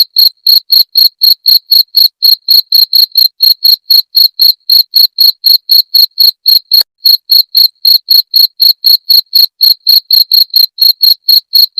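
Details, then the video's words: Chirping cricket, played as a rat repellent. Sharp, shrill pulses repeat at roughly four a second in an even, mechanical rhythm, with a single short pause partway through. Nothing else is heard. "Suara Jangkrik pengusir tikus"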